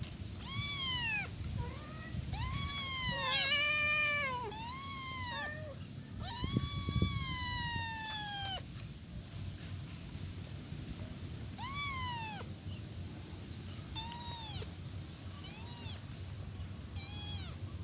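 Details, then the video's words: Week-old kitten crying for its mother: a crowded burst of overlapping, wavering meows, some long and drawn out, then spaced single arched meows every couple of seconds, with steady low background rumble. "Cat meowing sound effect - 1 week old cat calling mommy."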